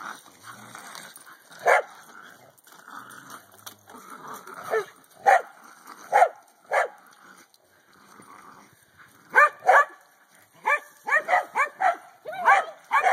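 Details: Corgi dog barking while playing with a hula hoop: sharp, harmonic barks in scattered single shots, then a rapid run of about eight barks near the end, with a person's voice between them.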